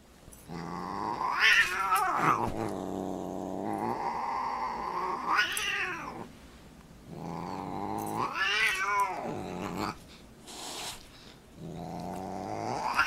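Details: Cat growling and caterwauling while boxing, long harmonic wails rising and falling in four drawn-out bursts, each swelling to a yowl then sinking to a low growl, indoors with brief quiet gaps and a short spoken remark.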